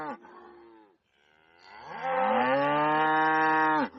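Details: Cow on a farm giving a loud, drawn-out moo: a short lower call, a brief pause, then a long rising bellow that holds steady for nearly two seconds before ending abruptly.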